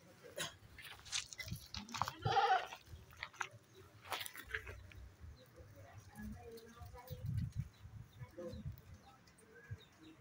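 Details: Female goats ready for breeding, about nine months old, kept in a pen: one short wavering bleat around the two-second mark among rustling, clattering pen noises and faint background voices.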